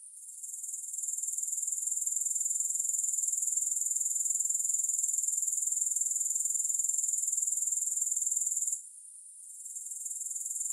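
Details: High, sizzling pulsed trill of grasshoppers rises in strength, runs evenly for several seconds, stops briefly, then starts up again, with no other sounds.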